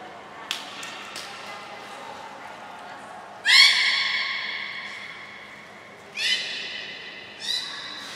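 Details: At Port of Nagoya Public Aquarium on 7 June 2022, belugas Gray, Nana and Mirai train. One strong rising, whistled squawk rings for over a second, then two shorter harmonic calls follow. Faint ticks sound earlier in a large echoing hall.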